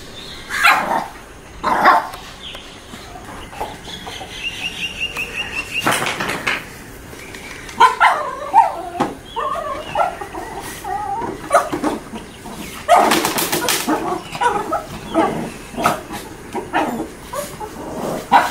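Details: Shih Tzu puppies, 40 days old, playing: short high yips, small barks and whimpers come in scattered bursts, some in quick clusters, with thumps and rustling from the play.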